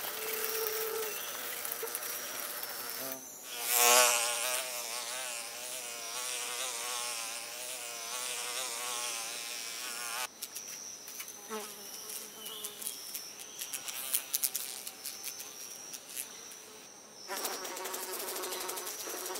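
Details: Fly buzzing as a wavering, droning hum with rich overtones that drifts up and down in pitch, over a constant hissy background, with a brief louder burst around four seconds and a thinner, noisier stretch later.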